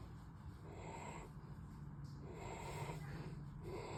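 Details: Tired German Shepherd back from two nights at home daycare, snoring in sleep: quiet, husky breaths rise and fall in a loose rhythm, a few snorty pulses near the end, low room hum underneath.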